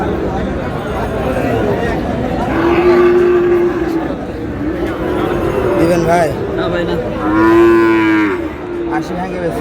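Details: Sahiwal bull calves at a crowded cattle market where a Dhaka farmer is buying; two long steady moos, one around three seconds and a louder one near eight seconds, over dense human chatter.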